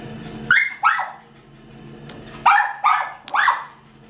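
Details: Unnamed female Chihuahua, about two years old and not yet spayed, held at the Downey Animal Care Center shelter in February 2015. She gives five sharp, high barks: a pair, a pause of over a second, then three more in quick succession.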